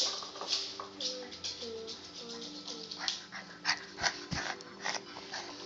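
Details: Puppy 'talking': a run of short, high, wavering whines and whimpers, several in a row over the first three seconds, with household background noise and a few clicks.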